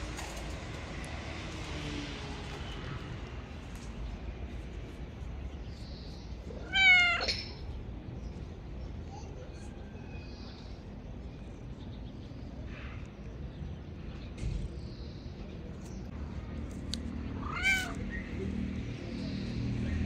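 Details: Loving male street cat, friendly enough to jump on a shoulder without claws, gives two clear, bright meows about ten seconds apart against quiet low outdoor hum.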